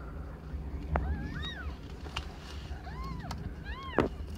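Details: Aimee, a pet cat under one year old, giving birth to five kittens of different colours; a few soft, arched meows at intervals over a low, steady background rumble, with some clicks.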